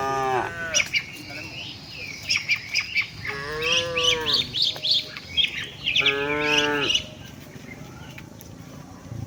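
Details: Tame cattle walking with their herd toward the shed: three drawn-out, harmonic moos, the middle one longest and slightly rising then falling, separated by pauses, with many small birds chirping sharply and rapidly throughout.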